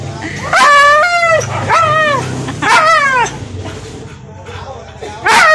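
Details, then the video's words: A husky talking in a series of short, arched, yodel-like vocal bursts that rise then fall in pitch, four main utterances over several seconds with a quieter gap before the last. "talking husky"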